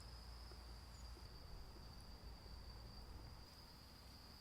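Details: Insects chirping over the stones around a traditional hanok guesthouse in Daejeon, South Korea, part of its peaceful atmosphere; a thin, steady high-pitched trill runs unbroken beneath a low rumbling background hum.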